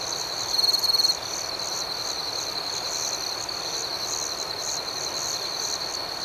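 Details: Crickets at night in a serene outdoor setting: a steady high, shimmering chorus, with one loud, rapidly pulsed chirping burst lasting about half a second near the start.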